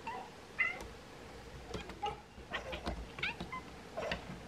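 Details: Two Bengal cats watching swallows get ready to migrate give a quick series of sharp, short chirps and chattering meows, roughly one every half second, with thin high whistles in between.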